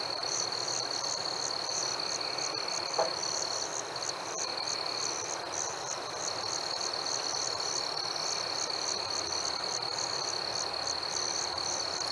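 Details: On a warm summer night, crickets keep up a constant high-pitched ring while a second layer of quick, evenly spaced chirps pulses about three times a second across the whole stretch, against a low hiss.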